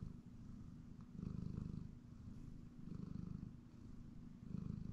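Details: A pet cat dozing on a comfortable chair at home gives a deep, throbbing purr, its rumble strengthening in three soft surges, the fine rapid vibration clearly audible under faint household hum.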